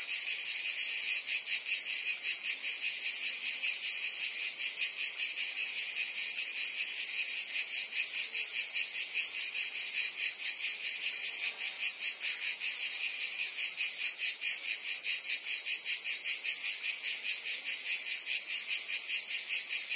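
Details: Provence in summer, cicadas singing: a loud, steady, high-pitched buzzing wall of sound that beats evenly about two and a half times per second, with nothing else heard.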